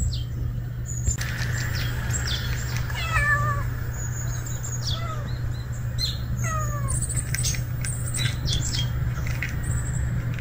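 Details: Unfamiliar male street cat, newly appeared, meowing: three falling, harmonic-rich meows near 3, 5 and 6.5 seconds, each gliding downward, over steady low hum and scattered high chirps and clicks in the background.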